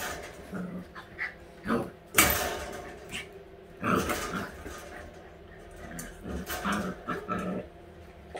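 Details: White Husky puppies, week eight, romping at play: intermittent low growls and small yips mixed with loud thumps and rustling bursts of movement noise.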